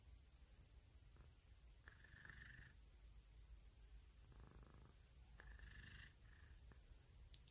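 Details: Low, rumbling purr from a pet cat, pulsing steadily, with two short high whistly tones and faint clicks over the drone.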